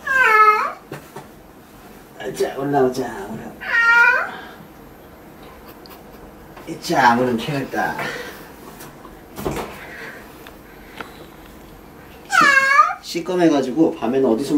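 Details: Domestic cat having its claws trimmed indoors, its tail tucked in to keep it still; three loud, drawn-out meows that rise then fall in pitch, spaced several seconds apart, with a person speaking Korean between them.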